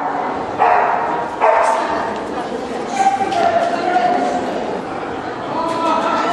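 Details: Black Russian Terrier shown in Kyiv, Ukraine, June 2010: several separate short barks spaced irregularly, about four over six seconds, amid constant crowd talk and indoor bustle.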